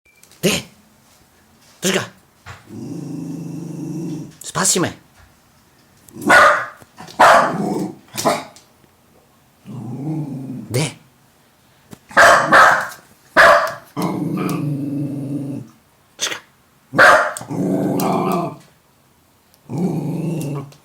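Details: Jack Russell Terrier growling at its own reflection in a mirror indoors. Low rumbling growls come in bursts of one to two seconds, mixed with sharp yaps and barks, while people talk between them.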